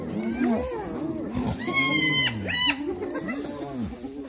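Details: Hyenas attacking another hyena: low arched moans and whines run throughout, broken midway by a thin, high, steady whistling squeal lasting about a second.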